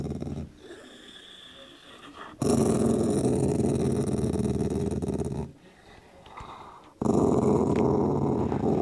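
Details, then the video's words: A dog enjoying a meaty bone grumbles at anyone approaching: a soft low rumble, then a loud, rough, sustained growl lasting about three seconds, a brief pause, and another strong growl starting up. "dog and bone"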